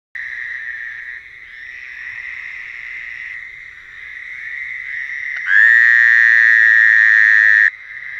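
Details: Frogs calling at night: a steady, buzzy droning chorus, then a much louder nearby caller from about 5.5 to 7.7 seconds, holding one long harsh note before dropping back into the background chorus.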